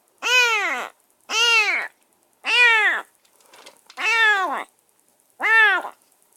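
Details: Semi-wild rescued stray kitten calling from a cage in its first minutes at a new home, giving five drawn-out, rising-then-falling meows at irregular intervals, with a faint rustle between calls.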